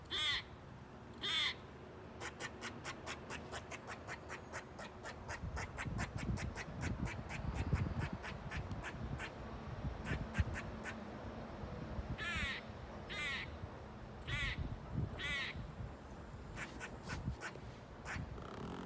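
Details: In Bonney Lake, Washington, 2019, a squirrel calls insistently with a fast series of short, dry chucks that speed up and slow down. Louder, rasping, nasal barks break through about every second over a low background rumble. A cat may be nearby.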